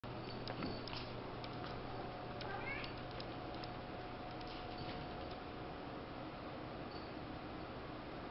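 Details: A part-Bengal domestic cat gives soft, brief chirping mews over a steady indoor hum; finding: Domestic cat (Bengal mix).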